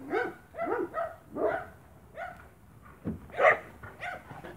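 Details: Spanish Mastiff at a farm, 1 October 2017, barking in clear, ringing bursts, several rapid barks, a pause, then a louder, higher bark, close and prominent over quiet surroundings.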